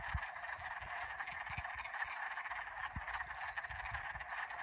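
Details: A dense spring 2021 frog chorus at Old Wadena, a continuous trilling wall of overlapping calls with low thumps beneath.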